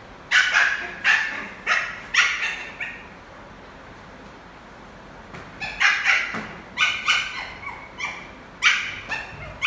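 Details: Adopted male Lhasa Apso puppy at play with a football. High-pitched yapping barks arrive in two runs of five or six, each note sharp and slightly falling, with a brief silent pause between runs.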